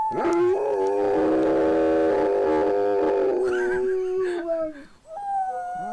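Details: Gracie, a pet dog, howling: one long steady tone with rich harmonics, held for over three seconds before it slides downward and breaks into shorter wavering notes near the end.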